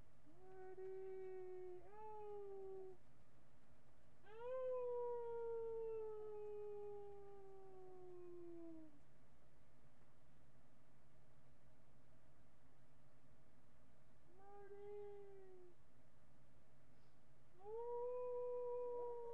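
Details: Miniature pinscher giving repeated howls, webcam recording from July 8, 2011 at about 11 AM: a series of five tonal howls, some brief and arched, one long glide downward lasting over four seconds, separated by silent pauses.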